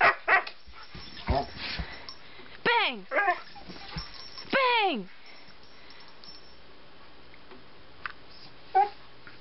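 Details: Siberian Husky named Turbo, a pet male dog doing tricks on command: a few loud, downward-sliding yelping barks in quick succession mid-clip, with a man's voice giving praise around them.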